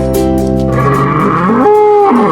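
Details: Bull lowing: a drawn-out, rising moo in the second half that holds a steady tone, then slides, set against continuous background music with plucked-string tones.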